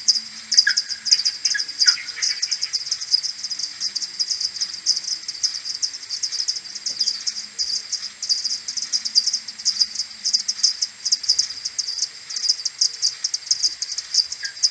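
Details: Morning return of a common pipistrelle maternity colony to the roost, 21 May 2022, recorded with an AudioMoth 1.1 at tenfold slower speed: a continuous dense clatter of many overlapping ticks, with a few lower chirps near the start.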